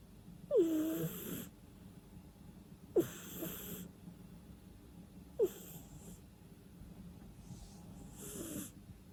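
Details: Loud sleeping-cat snores with no music: four wheezy, rasping breaths about every two and a half seconds, each opening with a sharp squeaky nasal whistle that drops in pitch before a long airy hiss.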